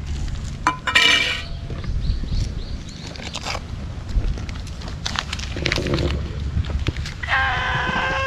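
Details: Stray cat wearing a scarf, met on an empty road on a cat island and fed Kalkan and Churu treats; a drawn-out harmonic meow near the end, a brief call earlier, amid rustling, handling noise and outdoor rumble.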